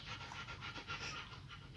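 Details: German Shepherd puppies raised indoors with their mother; short run of soft, fast panting, airy pulses at a regular quick beat, quiet and close.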